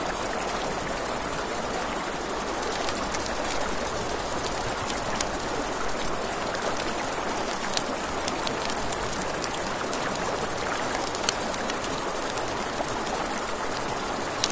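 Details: Riverside crickets at night: an even, piercing high trill that never pauses, backed by a dense hiss of running river water and intermittent campfire crackles and clicks.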